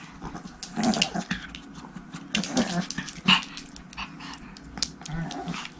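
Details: Tiny Pomeranian puppies, a trio of sisters named Erika, Haengun and Sarang, tumbling together indoors at home: short gruff growls and sharp little yips come in bursts, mixed with scuffling and thumps in a small room.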